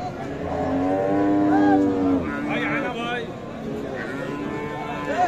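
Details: At Khochabari market in Thakurgaon Sadar on 19 December, a Friesian cow sold together with her calf gives a steady moo lasting under two seconds, then human voices and market bustle take over.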